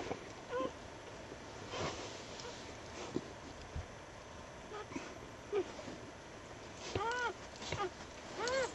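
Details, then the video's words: Newborn puppies, just born to a dog and found late on a winter night after a snowstorm at a house. Several short, high, arched squeaks with bright overtones, sparse early and clustered near the end, over soft rustling and handling noise. "Newborn puppy"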